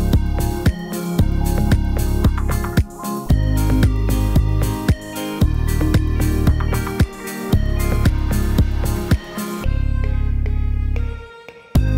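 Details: Upbeat electronic funk music with a steady driving beat and repeated bass notes, ending in a brief sustained chord, with no animal voice heard.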